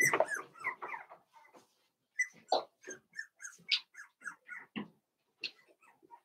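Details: Cavalier King Charles Spaniel puppies, four weeks old, in a pen indoors; a cluster of scrabbling and squeals opens, then scattered thin, high whimpers and short squeaks follow irregularly.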